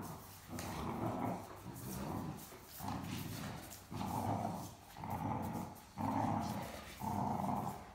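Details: Mikey, a talkative young Great Dane puppy, grumbles and growls in rough, drawn-out bursts about once a second while playing and tugging over a stuffed toy with older Great Dane Ellie.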